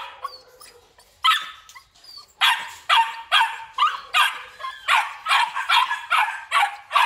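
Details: Belgian Malinois males with black and red-black coats, kept at a Vietnamese breeding kennel, bark in a steady volley: about a dozen sharp, rasping barks roughly every half second after a few scattered opening yips.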